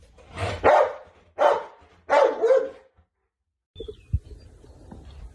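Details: Bernese Mountain Dog barking in a funny home compilation: three loud, rough barks in quick succession, the last one doubled, then a pause and quieter household noise.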